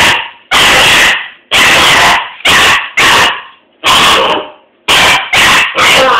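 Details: A young Doberman puppy facing a broom gives loud, rough barks, about eight in six seconds. Some are single and some come in close doubles, each ending in a brief fading tail.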